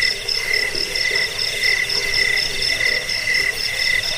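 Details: Cricket chorus meant to repel rats, lull listeners to sleep and tutor birds; dense overlapping high pulsed trills in rapid rhythm, several callers layered, continuous insect hum underneath.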